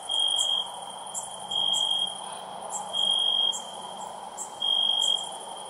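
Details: Night-time crickets sing in bursts of shrill, even trilling, each burst lasting about half a second and returning at regular intervals of one to one and a half seconds, over quiet background hiss and faint high clicks.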